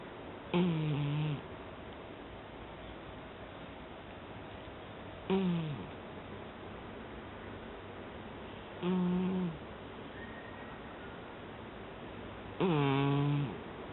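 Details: Sleeping cat snoring indoors: four low, droning snores, each under a second long with a slightly falling tone, coming roughly every three to four seconds with quiet breathing gaps between them.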